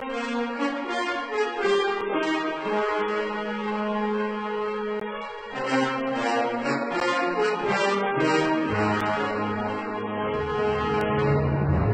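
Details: Brass band music with trombone and trumpet lines plays throughout, and no animal sound comes through.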